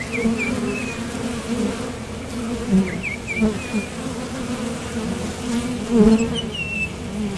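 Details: Bees leaving and landing at a top bar hive entrance on nectar runs, giving a constant low buzzing hum with close passes, while short high sliding bird chirps sound in several brief bursts.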